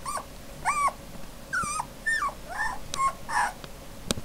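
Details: Female puppy whining loudly: about seven clear, tonal whimpers in four seconds, some rising then dipping, others sliding downward, ending with a sharp click.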